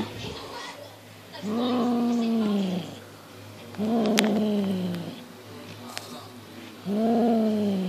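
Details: Monty, a six-month-old Highland Lynx cat, plays with a fox tail as his instincts kick in. He gives three drawn-out, slightly falling meows, each about one and a half seconds long, with quiet pauses between them and a low steady hum beneath.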